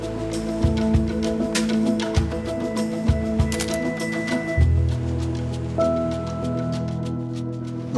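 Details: Soft background music with sustained tones and light percussive taps plays, with no animal sound heard.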